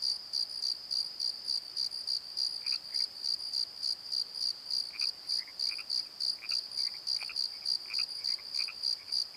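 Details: Crickets at night in a valley bottom, recorded on a Nikon D7100: steady high pulsed chirping, about three pulses a second, with fainter scattered higher chirps from other insects behind.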